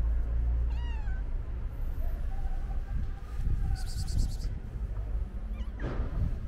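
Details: Hungry stray cats being fed: a rising-then-falling meow near the start and another short meow near the end, over steady low background rumble and occasional rustling.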